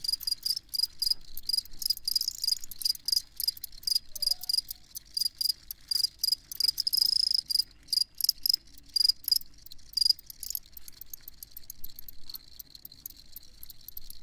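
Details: Field crickets chirping in a long sleep-ambience recording, bright high pulses around a steady tone, repeated in quick bursts with short gaps, several insects overlapping, quiet background otherwise.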